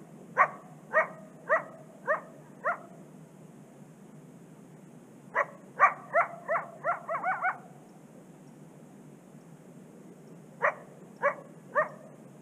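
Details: A coyote gives sharp, high yapping barks in quick bursts, with pauses between the volleys; it is also seen howling along a secluded Canadian prairie river.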